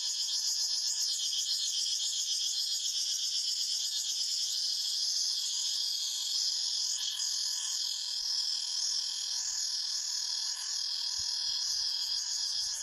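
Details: Forest cicada chorus: a steady, high-pitched whirring drone made of rapid pulses, holding constant in loudness throughout, with no other voices standing out.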